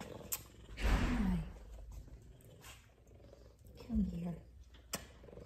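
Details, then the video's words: Two F2 Savannah cats purring while being petted; a close, deep, throbbing purr with rapid rhythmic pulses, broken by two short phrases from a woman speaking to them. "F2 Savannah Cats Big Time Loving And Purrs"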